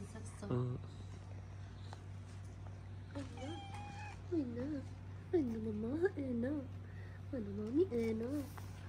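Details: Stray tabby cat on a street in Morocco gives a run of about six soft, sweet little meows, each rising then falling, several in quick pairs, after a brief human voice at the start, over a steady low hum.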